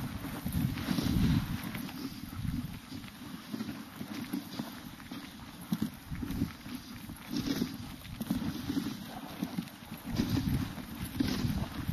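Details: Steady rumbling and scraping from sledding through a winter forest, with rhythmic crunching and wind and no dog barks or howls.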